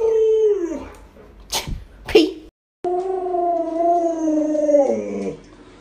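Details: Pet Alaskan Malamute Lolo howls indoors: a falling note, then clatter and a short gap, followed by a long steady two-tone howl dropping at the end, as a person chats nearby.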